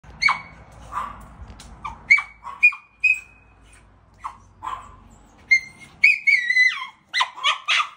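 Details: A Miniature Schnauzer hears his owner pulling up and greets him with high, squeaky whines and yelps that sound like a squeaky toy or baby chick.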